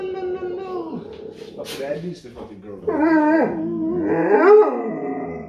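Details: A giant malamute puppy talking. It gives wavering, moaning howls that rise and dip in pitch, with a rough growly edge. Short breaks separate the phrases, and a person's voice can be heard faintly underneath.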